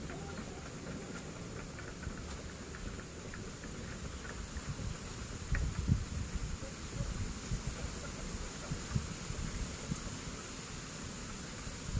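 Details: A constant low rumble mixes with a thin high whine and scattered soft knocks and taps.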